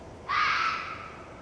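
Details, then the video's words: Red fox vixen giving one harsh, screeching scream with a sudden start, loud and rough for about a third of a second, then trailing off slowly over quiet hiss. "Red Fox vixen's scream"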